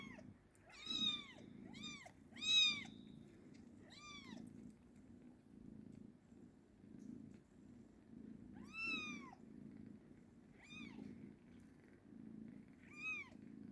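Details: Young cat making about eight short, sharp, rising-then-falling mews at irregular intervals, some in quick pairs, over continuous quiet purring.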